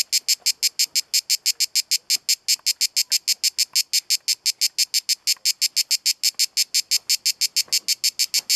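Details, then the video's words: Cicada singing at Kaiser's Throne in Pelekas on Corfu, Greece: loud, high buzzy pulses repeated about three times a second in a steady rhythm, with nothing else clearly audible. "Cicada sound in HD video in Corfu Greece"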